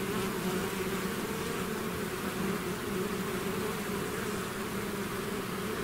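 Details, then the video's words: Thick, even buzzing from a bee swarm emerging from its hive, a constant layered drone without pauses. "bees therapy swarm natural buzzing sound"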